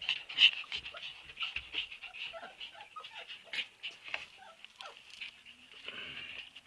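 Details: Husky puppies give soft, high whines and squeaks over a hissy indoor background with faint shuffling, the cries blurred and overlapping.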